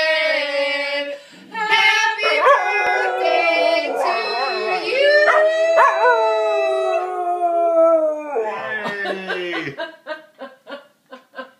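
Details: Dog singing along to Happy Birthday, giving long, wavering, harmonic howls that slide up and hold steady, then break into a quick series of short, evenly spaced yips at the end.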